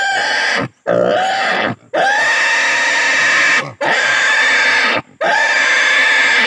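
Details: Loud drawn-out squeals from a native pig under castration, each scream lasting over a second with a bright, wavering pitch, separated by sharp gasps for breath.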